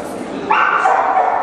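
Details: Dog show in Kyiv, Ukraine, June 2010, with a Black Russian Terrier: a single drawn-out, tonal bark or whine lasting about a second, slightly falling in pitch, over background voices.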